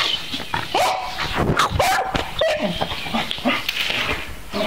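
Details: Beagle named Lily at play with her owner; short high whining yelps and squeaky whimpers, some rising then falling, come in quick bursts amid rustling and handling noises.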